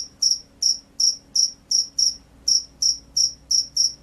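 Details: Rice-field cricket, the field cricket, known for its loud persistent song: sharp, high-pitched chirps repeated roughly every third of a second, each a short doubled pulse, clean and unbroken against a quiet background.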